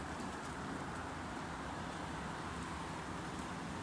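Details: Steady broadband rushing noise, like wind or rain, fills the recording with no clear animal voice.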